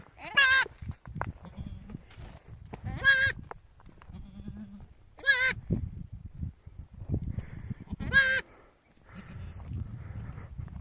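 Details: Domestic sheep bleating right after a ewe gave birth with a helper's aid, during a trip taking the flock to the mountains; four loud, quavering, wavering bleats roughly every two to three seconds, with rustling and handling noise between.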